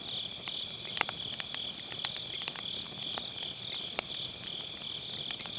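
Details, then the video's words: Autumn-night grass insects near a campfire, captured on an MKE600 microphone with low-cut: a continuous high-pitched insect drone holds steady while scattered wood snaps and crackles punctuate it every second or so. "가을밤 풀벌레 소리"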